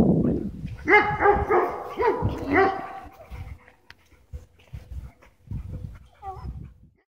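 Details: Dogs playing, with four or five quick, high yapping barks over the first three seconds, then quieter scuffling, soft thumps and a brief whine; a person's voice is faintly heard.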